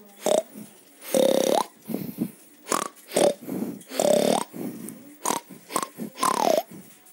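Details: Pig giving a rapid series of short, harsh, noisy grunts and squeals, about a dozen bursts in seven seconds, some longer ones carrying a thin whining tone, in a quiet setting.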